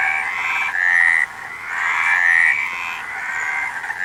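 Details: Frogs calling together in dense overlapping bursts, each about a second long, with a bright nasal croaking tone and several callers layered into a steady chorus with brief dips between bursts.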